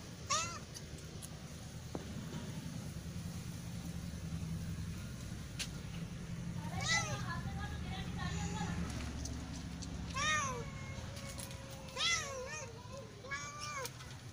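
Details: Kitten meowing to attract cats, several thin, bent meows scattered through the clip, some in short doubled bursts, heard over a steady low rumble of background noise.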